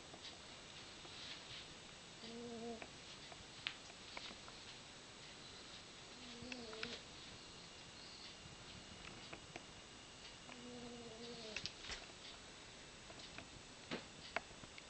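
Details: Izzie, a fat female pet cat, snoring in her sleep indoors: faint nasal tonal breaths about every four seconds, each half a second long, with small clicks and rustles in between.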